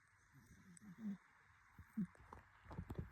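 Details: A sleeping cat snores in short, low, throaty breaths at uneven intervals, each a soft rasping puff, followed by a few faint clicks and rustles near the end.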